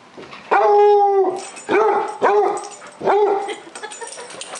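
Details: A pet dog at home gives three drawn-out, whiny, harmonic howling yelps. The first is longest, under a second and steady in pitch. Two shorter, arching yowls follow, each separated by a brief pause.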